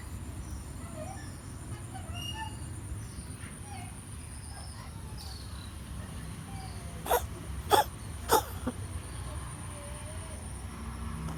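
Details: Domestic cat coughing in a suspected asthma attack: after a long stretch of low steady room hum with faint high tones, three short, sharp, hacking coughs come in quick succession about two-thirds of a second apart.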